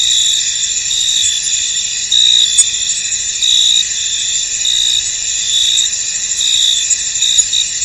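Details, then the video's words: Crickets chirping in a mist-covered field, an unbroken high shimmering trill with louder chirp bursts and two brief sharp clicks. "Tranquil Cricket Sounds In An Misty Field"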